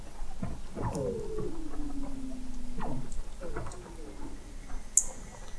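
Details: Weddell seals 21 m below the sea ice at the McMurdo Oceanographic Observatory, Antarctica, November 2017: a steadily descending whistle that slides down into a long low tone, followed by shorter falling chirps and a sharp high click near the end.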